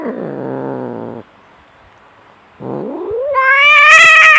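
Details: Domestic cat fighting, described as fierce and enraged: a low, rough growl with a buzzy, grating tone, a brief silence, then a yowl that climbs steadily into a loud, high, wavering wail.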